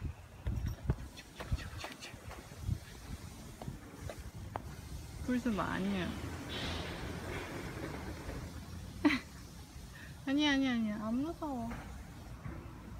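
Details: Seven-month-old neutered Ragdoll cat named Aoo, out walking through a newly opened apartment complex in South Korea, gives two drawn-out, wavering, tonal meows a few seconds apart over soft outdoor rustling and scattered clicks.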